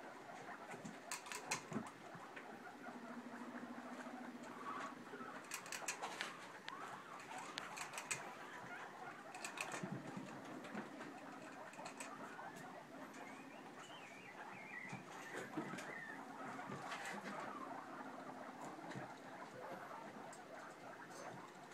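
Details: Pet guinea pig popcorning in a freshly cleaned cage with curtains, making low hummed chirps in short stretches among scattered sharp taps and pattering of movement on bedding.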